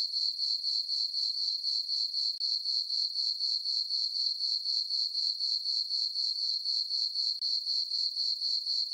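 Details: A summer night on a farm meadow beneath a full moon and dark skies, filled with cricket chirping: a continuous high-pitched trill pulsing evenly about four times a second, with a couple of tiny gaps.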